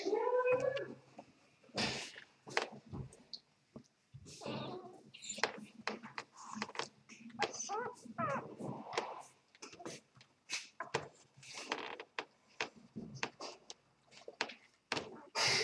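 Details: Two-day-old Vizsla x Labrador puppies, Vizsla mother and Labrador father, making a rapid run of short high squeaks and whimpers, thin mewing cries coming over and over with soft rustling between them.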